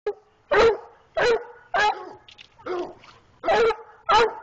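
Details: A six-month-old dog barks loud and sharp, about seven separate barks in quick succession with short gaps between them, each bark bright and harsh.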